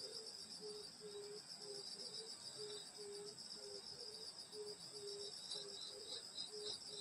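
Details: Summer night in rural Korea at a grandmother's house, full of insects: layered high cricket trilling holds steady as a lower chirping note pulses in short regular bursts, plus a ticking pulse near the top.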